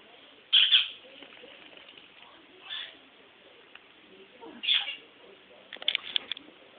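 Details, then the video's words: Sugar, a female Toy Poodle in heat and eager for her stud, lets out short high whimpers spaced about two seconds apart, with light clicking and rustling near the end. "Funny Toy Poodle In Heat"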